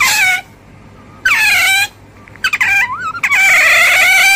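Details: Otter uttering short, high, sliding squeaks, some dipping then rising in pitch, ending in a sustained shrill whine.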